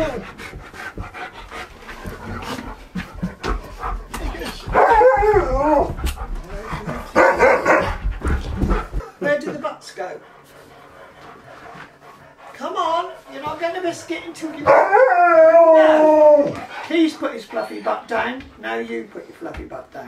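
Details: Husky K'eyush copies a washing machine with short wavering, yodel-like howls, mixed with a person talking encouragingly to him. A longer warbling, slightly descending tone follows later between bursts of speech and rustling.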